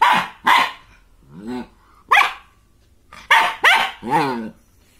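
A German Shepherd puppy barks in sharp, high bursts, with a few whining, yelping notes between.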